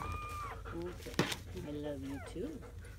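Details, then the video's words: Newborn German Shepherd puppies, a litter of seven born May 7–8, 2017, heard in their first hours: several thin, level whines and brief squeaky cries, one after another, with a low background hum and a sharp knock. "The sounds of 7 newborn German Shepherd Puppies"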